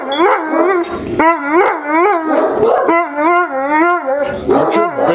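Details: Neapolitan Mastiffs indoors at night, being calmed about five minutes after a stranger knocked asking directions; a run of loud, wavering harmonic howls and whines mixed with short barks, roughly a call every second, a woman's voice briefly between.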